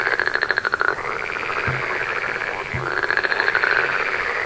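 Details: Frogs calling at night, a dense chorus of fast pulsed, buzzy croaks that swell and fade in waves every second or two, with a steady hiss of other callers behind.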